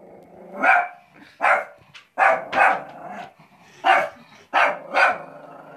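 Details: A female shih tzu named Cristal, restless from being kept at home, gives about eight short, punchy barks, mostly in pairs, with a faint growl underneath.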